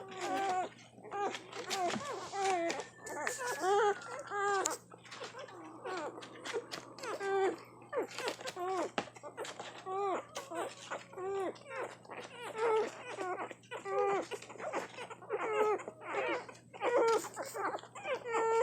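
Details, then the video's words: One-week-old puppies nursing and feeding hungrily, giving repeated high, squeaky whimpers and whines that rise and fall, overlapping and coming several times a second, with a steady low hum in a small indoor room. "Hungry puppy feeding frenzie! Cute nursing puppies making sounds. Just one week old!"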